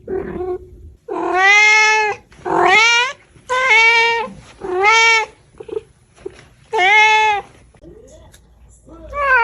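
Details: Loud, insistent domestic cat meowing: five strong calls, several sliding upward in pitch at the start, followed by softer short chirps and a final meow beginning.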